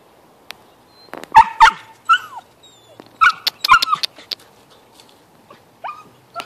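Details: Red male husky puppy with two blue eyes giving sharp little yips and squeaky barks in short clusters, with quiet gaps between them. A few thin whines are heard, and the background is otherwise quiet.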